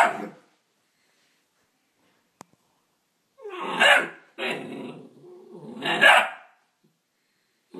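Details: A Neapolitan Mastiff x Pit Bull puppy barks at its own reflection in a mirror, giving a few sharp, rough barks with short pauses between them.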